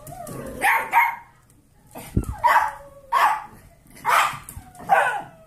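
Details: Kirby, an 8-year-old Pomeranian, plays with his adopted litter of 8-week-old golden retriever mix foster puppies, giving five loud, sharp, harsh barks about one second apart with short whining slides between them.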